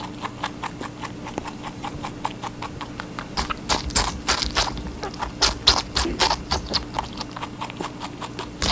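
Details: Rabbit munching on watermelon, with quick crunchy bites repeating about four times a second, some louder and juicier in the middle, over a constant faint electrical hum.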